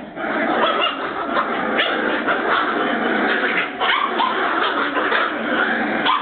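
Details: Border Terrier puppies of Bois Caiman, busy 'doing the cleaning', fill the recording with a dense, continuous chorus of overlapping yips and barks, steady in loudness throughout, with no quiet gaps.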